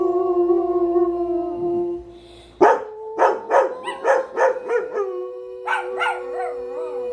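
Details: Pet dogs howling: a steady sustained howl, then a burst of rapid rhythmic barks and yips roughly every half second, followed by a renewed wavering howl.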